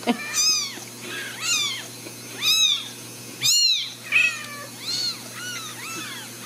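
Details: Ragdoll kittens born and raised indoors at a cattery in central Kansas give clear, high, down-curving mews about once per second. The calls are steady and insistent, with one louder, harsher cry midway.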